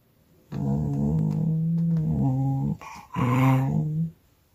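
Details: Cocker Spaniel that hates water, grumbling while being showered: a long low growling moan lasting about two seconds, a short break, then a second growl; faint music follows.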